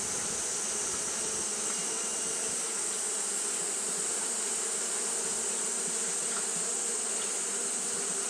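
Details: On a hot day Japanese honey bees keep up fanning behaviour, producing a continuous whirring drone, low and rich, overlaid by a flat sustained high-frequency hiss.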